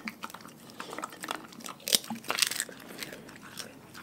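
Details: A pack of dogs eating their raw food diet: sharp, irregular crunches and bites, roughly two a second, with two loud snaps near the middle. The sound is close and crisp.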